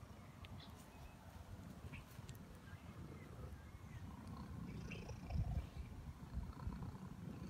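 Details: Big, chubby, happy cat rolling around in the grass while purring: a soft, low, continuous rumbling throb, faint throughout, with light rustling above it.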